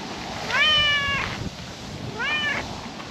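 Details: Calico cat perched on a park table in the evening sun gives two meows, the first long and rising then level, the second shorter, with a soft outdoor hiss beneath.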